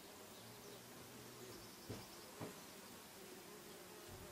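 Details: Low droning bee buzz with a steady hum and a higher overtone band, over a hissy background, with two short sharp clicks partway through.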